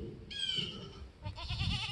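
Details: Bottle-raised female goat, abandoned by her mother and not disbudded, screaming for attention after sticking her head through a fence: a loud harmonic bleat, then a second quavering, wobbling bleat, over low rumbling handling noise.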